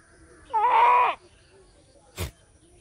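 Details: An Indian goat gives a single nasal, wavering bleat lasting over half a second.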